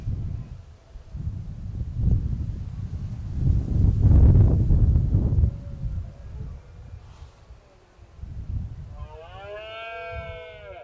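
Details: Red deer stags roaring during the 2016 rut, one male challenging rivals and a single challenger confronting the dominant stag. Deep, rough, low roars build to a loud peak near four seconds, then softer grunting bursts; a high, wavering harmonic tone enters near the end.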